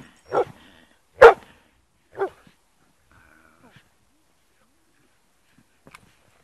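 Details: Snow play at Priory Marina, Bedford, with the lurchers Egg, Toby and Buttons: three short, strong barks in the first two and a half seconds, then near quiet with a couple of faint clicks.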